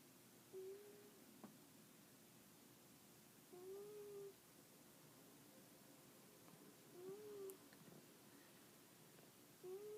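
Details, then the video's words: Sleeping pet cat snoring, soft droning breaths recurring roughly every three seconds, each a gentle rising hum, with light clicks and quiet room tone between. "Kitty snores"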